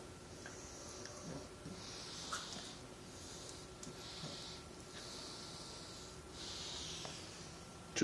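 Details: Bulldog puppy making funny gremlin-like noises: a run of breathy, hissing snorts and wheezes, one roughly every one to two seconds, over a faint steady hum, ending with a sharp knock.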